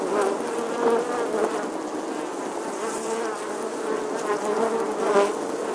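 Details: Colony of honey bees nesting in old church stonework in England, August 2020, producing a constant low buzzing drone, with brief louder passes of single bees near the start and end.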